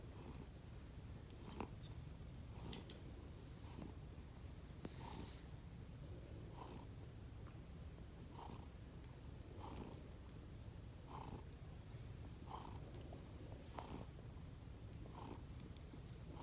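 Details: Two sleeping rescued house cats, Konbu (white and brown) and Myun (grey and white), make a sound unlike their usual purring: soft, low, breathy snores repeating roughly every second and a half under a steady indoor hum.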